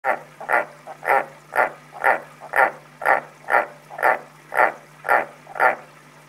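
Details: Pet frog named Voigt calling indoors, a steady series of short, low croaking pulses repeated about twice per second, each note evenly spaced, over a faint constant electrical hum.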